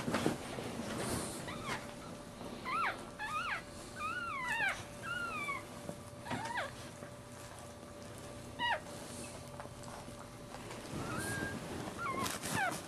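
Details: Newborn Maltese puppy, born feet first in a breech birth to the mother Jojo in March 2009, gives thin high squeaks that rise and fall, some in quick pairs, with gaps between, over a steady background hum.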